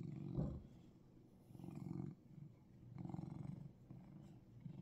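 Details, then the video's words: Russian Blue cat in Seoul, Korea, purring: low, rumbling throb in rhythmic surges about a second long, swelling and fading with each breath, close and steady in a quiet room. "Russian Blue Gyareureung"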